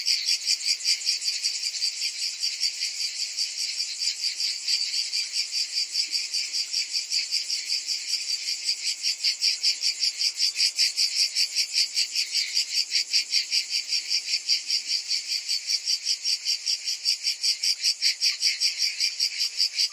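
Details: Summer cicada chorus, many insects calling together in a continuous high, shimmering drone, rapidly throbbing at an even beat of roughly two to three pulses per second throughout, with no other sounds.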